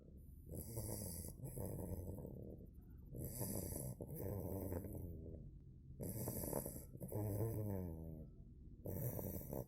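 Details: Bogemia, a two-month-old female Cane Corso puppy, snoring in her sleep: deep, rattling snores in long breaths that repeat every two to three seconds, with a hissing, airy edge on each breath.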